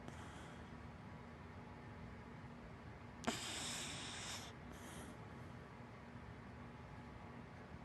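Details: Hana, a big black Dachshund–Labrador mix pet dog, snoring while asleep: a sharp snorting intake opens a breathy, hissing rush lasting about a second, then a shorter puff follows, with faint breathing before and quiet room hiss throughout.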